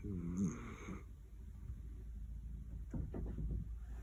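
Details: Roro, a female Miniature Dachshund born in 2010 with a black-and-cream coat, snores while asleep: one low, rough, droning breath lasting about a second, followed by softer raspy breathing, with a steady faint hum in the room.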